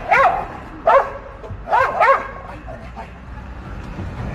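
A German Shepherd gives four sharp, harmonic barks, two of them in a quick double, as a protective warning.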